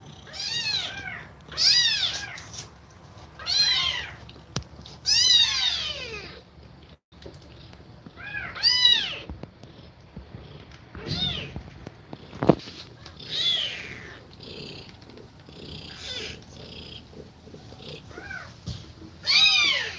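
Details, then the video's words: Domestic cat nursing her kittens while breathing fast; high, thin arched mews come in irregular bursts, some in quick runs of two or three, with quiet gaps and small knocks between. "Cat Breathing Fast While Feeding Milk To Kittens"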